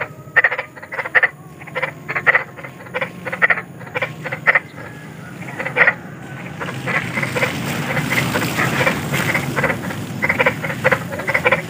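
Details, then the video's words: Large frogs croaking in nature, described as eerie and soothing for children at night; regular rattling croaks roughly twice a second, later partly masked by rising broadband rushing noise like wind or water. "SUARA KODOK || KODOK BESAR || SUARA KODOK SERAM"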